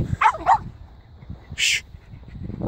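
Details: Two dogs, a Jack Russell and a Ridgeback, running and playing off lead in the sun around a new housing estate; two quick yelping barks with a bent, rising-falling pitch, then a short harsh burst and another yip starting at the end.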